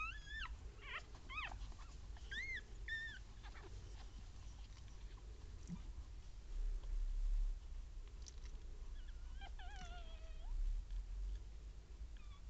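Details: Newborn Papillon puppies, one female and two males born 16 April 2013, with their mother; a cluster of short high squeaks early, then quiet rustling, and a drawn-out falling whimper near the end.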